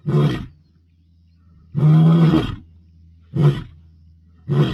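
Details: Roaring Bilashaka male lion asserting dominance, Masai Mara, 22 May 2025: four powerful, rasping low roars, the second drawn out nearly a second, the others clipped and short, over a soft continuous rumble.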